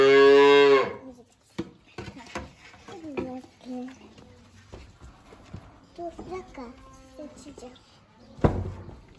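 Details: Hungry calf on a farm at feeding time, mooing loudly: a deep, rich, harmonic moo lasting nearly a second opens the recording, followed by a woman talking in Turkish, clicks and handling noises, and a brief loud thump near the end.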